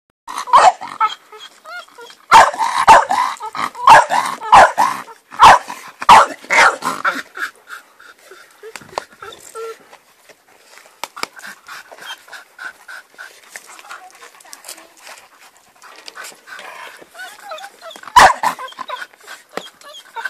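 A Bull Terrier barks in a quick, uneven burst of sharp woofs, then calls out again more sparsely.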